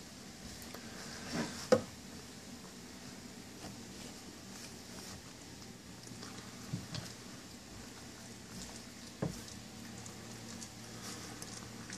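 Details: A quiet indoor room with soft patter and a few faint taps and thumps, and no clear animal voice.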